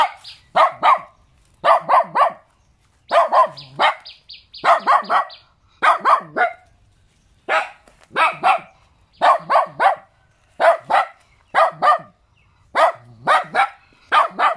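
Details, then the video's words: Little dog barking in tight pairs and triplets of high, sharp yaps, groups spaced roughly a second apart throughout, with a faint tone heard briefly near the start. "เสียงหมาเห่า หมาน้อยน่ารัก เห่าดีจัง"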